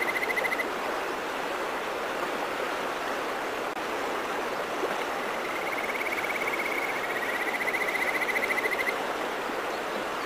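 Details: A Kajika frog (Buergeria buergeri) in the countryside mountains gives clear, whistled trills over the steady rush of a mountain stream.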